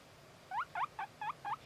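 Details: Guinea pig uttering five short upward-hooked squeaks in quick succession, about one every quarter second, over a low steady hum, ending with a sharp click.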